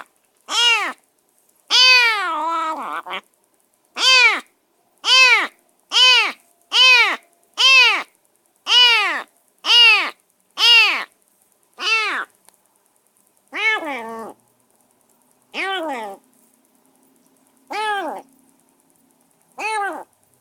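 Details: Newly rescued semi-wild stray kitten in a cage keeps crying on and on: a long run of about fifteen high, arched meows, fast and steady at first, then slowing with longer gaps toward the end.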